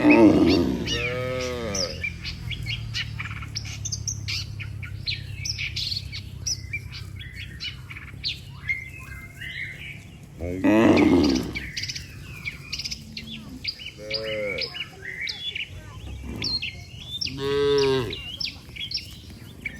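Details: Dozens of tame cattle walking home to the barn together after a day on the pasture; several deep, drawn-out moos sound at intervals, with bright bird chirps chattering throughout.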